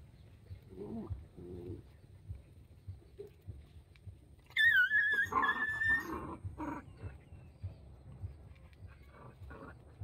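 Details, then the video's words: Puppies at play, one giving a loud high whine that bends downward then holds, with softer grunts and whimpers before and after. "Puppy Playtime: I'm playing with puppies and dog so happy"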